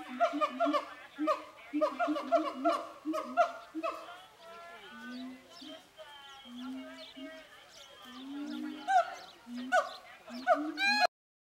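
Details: Captive siamangs at Zooworld calling excitedly ahead of Zoobilee, hooting and shouting back and forth: rapid runs of short rising whoops repeated in quick bursts, then slower drawn hoots and climbing barks, ending abruptly.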